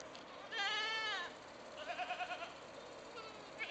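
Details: Mother goats bleat to call their own kids home, each with a unique voice, giving a long wavering bleat followed by shorter pulsed ones.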